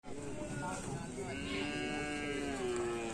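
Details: Racing bulls training for karapan sapi at a field in Asemanis give a drawn-out, harmonic moo lasting about two seconds, with people talking nearby throughout.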